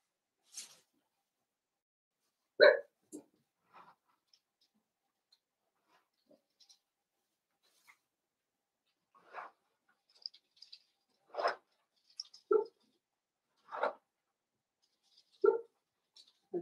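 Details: Blenheim Cavalier King Charles Spaniel puppies, a litter of five born around New Year's, in an indoor puppy pen: brief squeaky yelps and whimpers scattered across a quiet room, several clustered in the final seconds.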